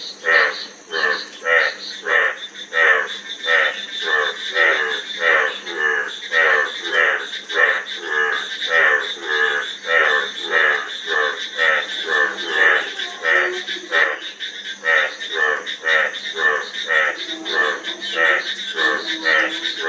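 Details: A frog chorus of rough, rattling croaks repeated in a fast, uneven rhythm, around a hundred a minute, each a short burst of rapid pulses, over a constant background hiss.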